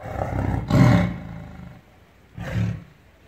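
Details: A tiger gives two deep, rumbling roars, a long one near the start and a shorter one about two seconds later, with a quieter low growl between them.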